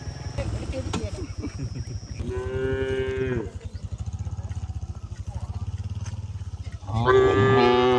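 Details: Cows walked back to the shed in pouring rain on a village track: two rich, harmonic moos, the first lasting over a second, the second starting about four seconds later, with steady low pulsing noise in between.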